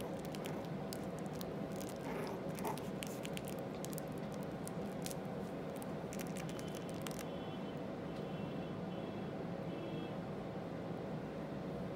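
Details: Indoor room tone with a steady low hum, soft squishy patter and scraping for the first seven seconds, then quieter; no animal voices heard.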